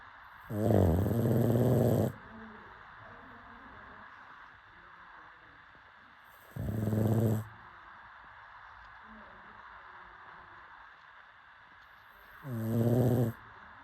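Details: Snoring pug fast asleep, giving three throaty, rattling snores spaced about five to six seconds apart, the middle one shorter, with faint wheezy breaths in the pauses.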